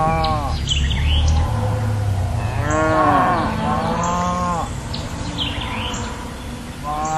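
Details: A cow (Bos taurus) gives long, deep moos with rich harmonics, some rising and falling in pitch.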